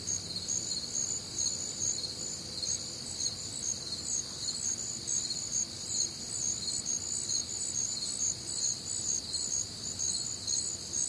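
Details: Many crickets calling together through a humid Midwestern summer night, their shrill trills throbbing in regular pulses a little over twice a second, several pitch layers overlapping and nothing else standing out.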